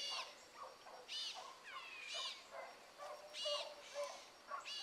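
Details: Pack of pups running rabbit in the morning, Ringo, Mingo and Choco leading: far-off hound bays, bright, stacked and wavering, rising and falling in quick overlapping bouts.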